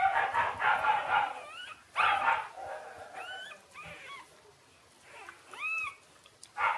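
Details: Shiba Inu puppies Ôkami and Ikkyu, six days old, crying in high squeaky rising-and-falling whines, about five separate cries spaced irregularly, with intermittent louder broadband rustling or voices in between.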